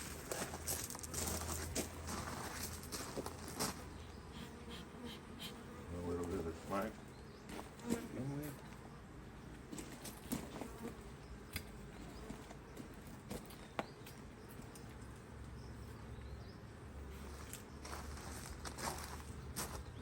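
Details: Honey bees buzzing around an open Hive IQ beehive in Australia in mid-autumn 2023, during fine weather, as a box is added. A steady, dense hum runs throughout, with handling knocks and a few quiet spoken words midway.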